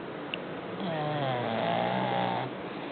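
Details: Butch the bulldog snoring: one long, drawn-out nasal snore with a layered, tonal rasp that swells and wavers for nearly two seconds, framed by softer breathing noise before and after.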